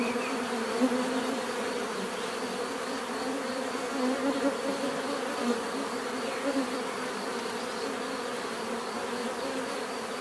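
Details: Bees buzzing naturally in a continuous, even drone, with a few faint louder flickers as single insects fly nearer over the unbroken hum.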